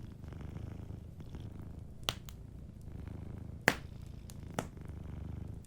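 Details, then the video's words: Gentle low purring of a sleeping cat near a fireplace, quieter and steady, broken by three loud crackling snaps from the fire around two, three and a half, and four and a half seconds. "Warm Fireplace Ambience with a Sleeping Cat 🐱💤Fireplace & Soft Purring"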